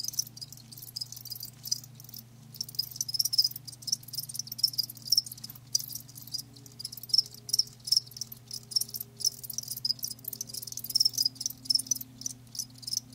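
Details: A chorus of live crickets keeps up dense, shrill chirping with short pauses, while low tonal hums shift faintly in the background.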